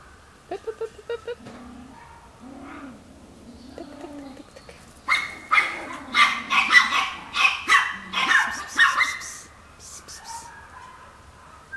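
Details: A 7-month-old miniature Chihuahua puppy weighing 1.2 kg, at a breeder in southwest France, gives a run of high, sharp yaps and squeaky barks, with brief human voice early on.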